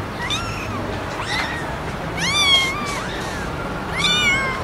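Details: Domestic cat or kitten, from a compilation of noisy meowing cats, repeating short rising-then-falling meows about once a second, the later ones louder and more insistent, over a steady low background hiss.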